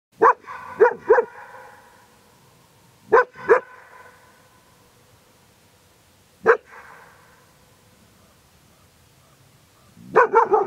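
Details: A German Shepherd barks at nothing toward the mountains, giving deep, loud barks in short bursts, each followed by a fading echo.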